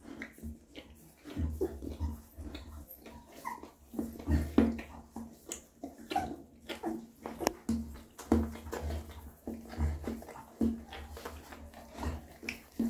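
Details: Mother dog cleaning and feeding her newborn puppies, close wet licking and lapping sounds in irregular bursts, soft thumps, faint whimpers, indoors.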